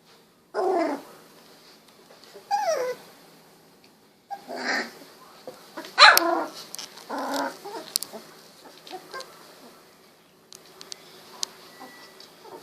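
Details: Golden Retriever puppies, 16 days old, eyes recently opened, wiggling and walking about: a series of short high whimpers and yips with rising and falling squeals, separated by pauses, one sharp louder yelp near the middle.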